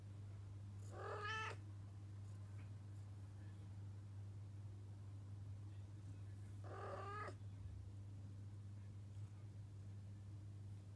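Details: Female Arabian Mau cat meowing indoors because she wants to leave the room: two drawn-out, harmonic-rich meows about six seconds apart, each a little under a second long, over a steady low electrical hum.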